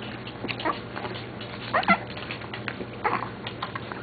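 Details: Several West Highland White Terrier puppies feeding, letting out brief high squeaky whimpers, a pair near the middle and another burst toward the end, over a constant low electrical hum and soft shuffling noises.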